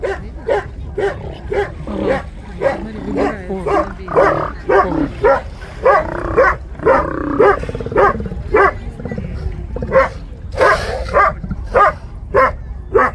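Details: Steller sea lions in a city seaport on 10 April 2022 give hoarse, dog-like barks, repeated roughly twice a second in an uneven run, with some longer rasping calls in the middle; low background rumble.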